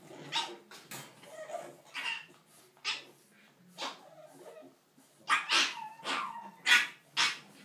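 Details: English bulldog puppies playing let out short, high yips and barks at an uneven pace, about twice a second.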